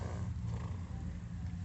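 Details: Horse (Equus caballus), stomach growl.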